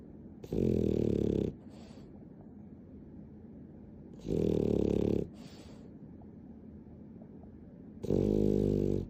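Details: Pet dog, described as affectionate and clingy, snoring with the recording sped up tenfold: three loud harmonic rasping bursts about every 3.7 seconds, each lasting about a second, with a quiet low hum between them.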